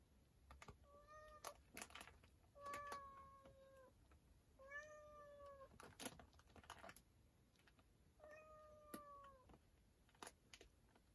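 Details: A domestic cat that has gone into a storage room gives four drawn-out, clear, even-pitched meows spaced about two seconds apart, each lasting roughly a second, while sharp clicks and taps like typing sound throughout.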